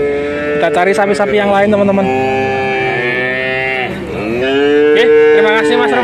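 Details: Overlapping moos from male calves at a market in Grabag, Magelang, Indonesia, part of a lot of nineteen animals. The drawn-out calls sag and then rise again, with faint human voices underneath.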